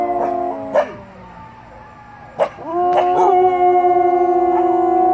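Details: Samoyed dog giving short yips and rising whines that lead into a sustained, steady howl that holds its pitch for the final two seconds.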